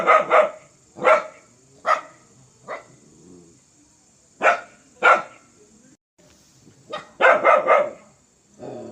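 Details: Harsh, aggressive barking from a fierce dog: single and paired barks spaced a second or two apart, ending in a fast triple bark and a low growl, over a faint high hiss.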